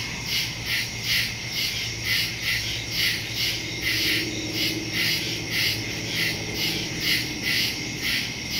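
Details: Night soundscape of woodland crickets from September 2, 2023, recorded on a Samsung Galaxy S22 Ultra with a Shure MV88+; quick shrill chirps pulse rapidly over a constant high trill, soft low hum underneath.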